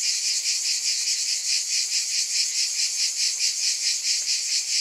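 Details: A wall of high, sizzling insect noise from cicadas, evenly loud throughout and wavering in regular pulses a little over twice per second.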